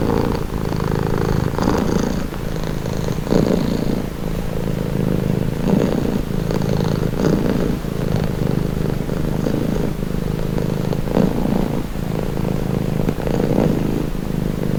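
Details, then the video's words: Calming cat purr, low and continuous, with a rhythmic rattle rising and falling in breath-length cycles about every one to two seconds, heard at close range. "Purring cat | Calming Relaxing Nature Sound"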